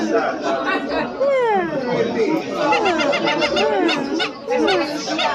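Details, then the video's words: Silvery gibbon calling: sliding whooping notes that rise and fall in overlapping sweeps, with steady chatter and crowd noise underneath. "The Silver gibbons sound effects"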